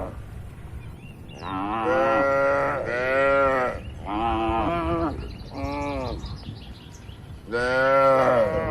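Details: Healthy, tame, active cattle mooing inside a farm barn: five loud drawn-out moos, each about a second long, rising then falling in pitch and spaced by short gaps, over a steady low rumble.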